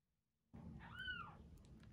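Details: Rescued kitten about a week old, one of two named Terra and Towa, being fed indoors; after a brief silence, a single short meow arcs up and falls back down, high and tonal, over a low background rumble.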